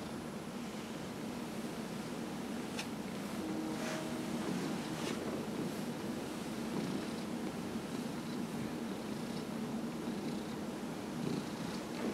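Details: Dillard, a 15-year-old domestic cat with small cell lymphoma, purring during a massage on November 27, 2018; a steady low rumbling purr runs throughout, with a few faint clicks and soft rustles.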